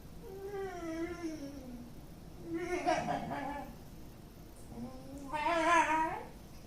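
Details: MoMo, a pet dog, on 29 May 2013, making an unusual noise heard from him for the first time: two drawn-out, wavering whine-howls, the first sliding downward, the second rising then falling, separated by a short pause.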